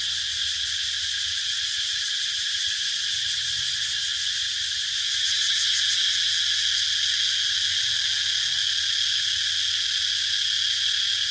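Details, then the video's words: Cicadas buzzing continuously, the shrill drone swelling slightly louder midway and pulsing quickly, over a faint low hum. "Cicada sound"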